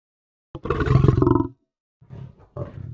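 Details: Lion letting out one deep, rough, full-throated roar lasting about a second, followed by two softer, lower grunting rumbles.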